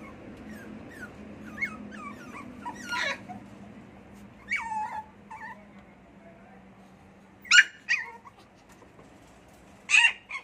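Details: Small pet poodle indoors in a small room, whining in short, thin, high pitched whimpers that slide up and down, scattered irregularly with quiet gaps and a low steady hum beneath.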